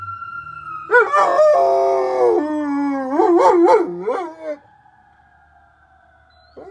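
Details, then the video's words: Arwen the dog joins passing sirens: a steady siren tone fades in, then a rough burst opens into a falling howl and a series of quavering yodel-like pulses. A long siren tone continues after the dog stops. "GUARANTEED TO MAKE YOUR DOG HOWL"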